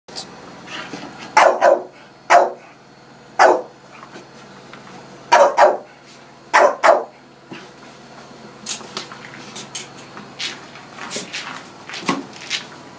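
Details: Staffordshire Bull Terrier and Rottweiler playing with balloons indoors; loud, deep barks in short bursts during the first seven seconds, then lighter sharp clicks and squeaks from the play.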